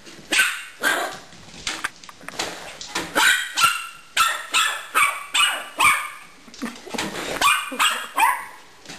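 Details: Dog playing with a pet hamster indoors, giving a run of sharp, yappy barks, about sixteen in nine seconds, irregularly spaced with brief pauses between bursts.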